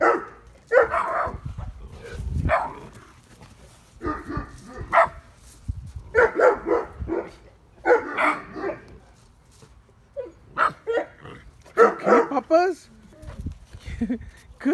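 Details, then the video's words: Neapolitan Mastiff puppy, eight weeks old, on guard in a backyard at night on 26 July 2019, barking at his mother, whom he took for a stranger. Repeated hoarse barks come in clusters of two or three, with brief pauses between. "Neapolitan Mastiff Puppy on Guard"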